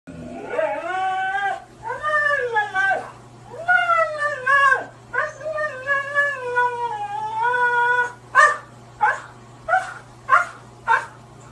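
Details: Siberian Husky refusing to take a shower and vocally arguing: long wavering howl-like 'talking' calls that rise and fall in several drawn-out phrases, followed by five short sharp barks spaced about half a second to a second apart.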